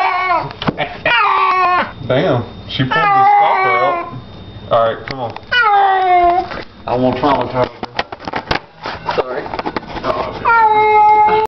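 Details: Domestic cat meowing during a bath indoors in a small room: several drawn-out, harmonic meows that rise then fall, in bursts of about a second, with a person talking over and between them.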